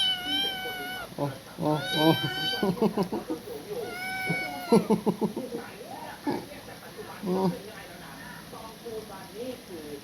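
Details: Kitten lying on a person's chest, sucking a finger and crying; several drawn-out, clear meows, some rising then falling, mixed with a person talking throughout.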